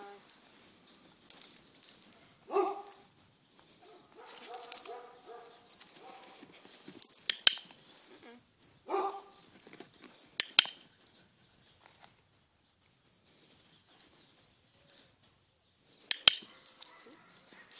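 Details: Zara, a Border Collie, during balance practice, gives a few short, sharp barks or yelps, with a pause of several seconds between them. Clattering handling noises and bursts of scuffling fill the gaps, and a few last sounds come near the end.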